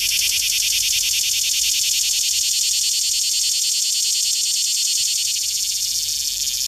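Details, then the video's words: A cicada sings a loud, steady, high-pitched buzz that carries on without a break. "amazing insect singing"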